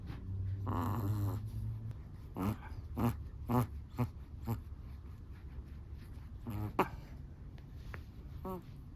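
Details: A Chihuahua snores in its sleep. An opening drawn-out nasal snore is followed by a run of short, squeaky, whistling snorts roughly every half second, with quiet low breathing between them.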